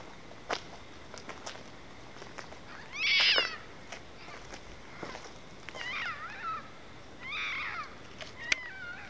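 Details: A red fox, heard outdoors over a long period, gives harsh, wavering high-pitched cries in short bursts with quiet gaps between them; the recordist suspects mating calls.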